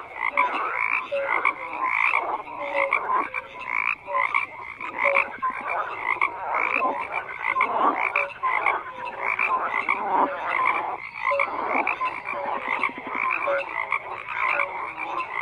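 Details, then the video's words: Many frogs croak together without pause, their raspy, pulsing calls layered thickly, with short piping notes recurring every second or so above the churning mass. "FROGS CROAKING"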